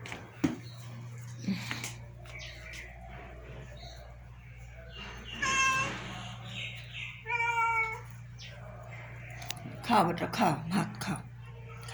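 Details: Pet cats indoors being fed rice while a woman coaxes them to eat: several harmonic meows around five to eight seconds, one a clear stacked call, amid her speech, clattering and a steady low hum.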